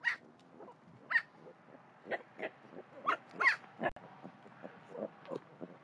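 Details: Baby javelinas, with one sounding unhappy: rapid, irregular series of short, raspy squeaks and grunts, several per second, some sharper high squeals, with soft background rustling.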